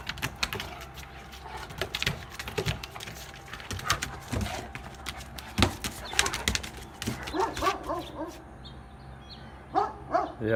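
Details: A pair of dogs, a male and a female, affectionate, with him submitting to her: mostly clicking and rustling handling noise, ending with a few short, rising, nasal whines near the close.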